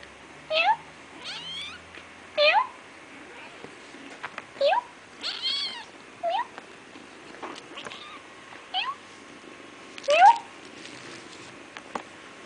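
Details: Feral kittens, born to a feral cat in an industrial area and being tamed, give short, high, upward-sweeping mews roughly every two seconds. Several mews overlap, with a few fainter calls between them over a low indoor hiss.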